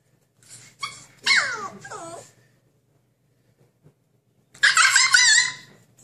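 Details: Husky puppy in a cage, wanting to break out: a few short yips, then sliding whimpers falling in pitch, a quiet gap, and a final burst of wavering, whiny cries, with a low hum underneath.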